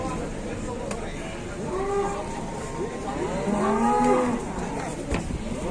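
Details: Cattle arriving by truck in Indonesia, with more animals still aboard on sawdust and straw bedding; two drawn-out, arching moos mid-clip over steady engine and yard noise, with a man talking nearby.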